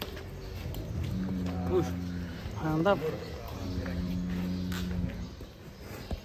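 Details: Cattle at GST Farm, one of three unusual, fat cows, give a low, drawn-out moo with steady tones that rises and falls across several seconds, while people talk nearby over a constant high hum.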